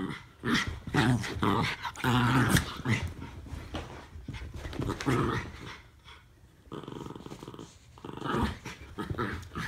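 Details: Two Norfolk Terriers, Ernie and Hank, wrestling in play; dense, rumbling growls come in rapid pulses, about two a second, with a quieter gap before the growling picks up again.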